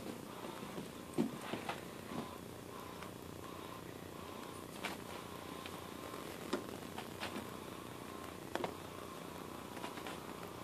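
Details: Domestic cat purring, a soft, even, continuous rumble running through the whole recording, broken by a few faint clicks and light taps in an indoor room.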